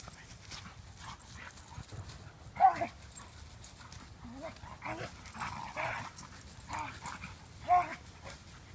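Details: Play-battle between Standard Poodles Gaby, six months old, and Count, around six, in a forest clearing near Louisville, Kentucky, recorded by pocketed iPhone: sharp yelps and throaty growls burst out every second or so over a low rumble.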